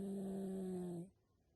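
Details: Yorkshire Terrier (Canis lupus familiaris), snoring.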